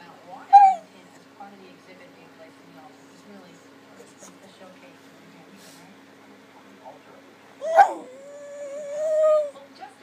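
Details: Max, a puppy, whines indoors while begging for a dinner plate so he can lick it. One short high whimper comes first, then after a quiet pause a sharp yelp that settles into a long, steady, high-pitched whine.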